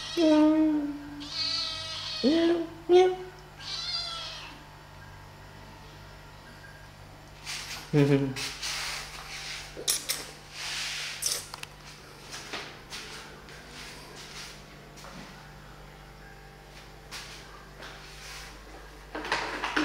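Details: Kittens playing and feeding give several short, high harmonic meows in the first four seconds, some rising then falling, followed by scattered clicks, taps and rustling noises.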